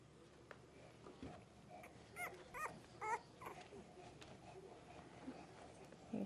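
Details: English bulldog puppies on a Kansas ranch: a short burst of about five high, thin squeaky yelps in the middle, quiet between, with a woman's gentle voice close by.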